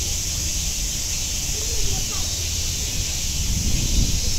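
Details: Cicadas singing at Nogeyama Zoo, a dense unbroken high hiss held steady throughout, with faint voices and low rumble underneath.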